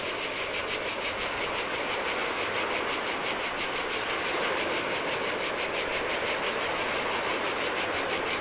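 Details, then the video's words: On a deserted beach of a Greek island, cicadas sing in summer heat beside the Adriatic: a shrill, rapidly pulsing buzz, evenly throbbing roughly three beats per second, with gentle surf hiss underneath. "Cicadas by the Sea - Ocean Waves & Cicada Sounds"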